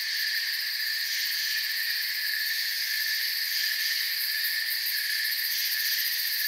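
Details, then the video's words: Crickets fill the calm forest with an even, ringing trill chorus across several high pitch layers, slightly swelling and fading in the topmost band, otherwise uniform throughout. "Forest Sounds and Crickets"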